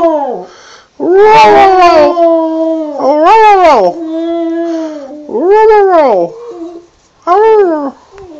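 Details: Border terrier singing in a run of wavering howls that rise and fall in arcs. Some notes are held steady and others are short and bending, with brief breaks between phrases.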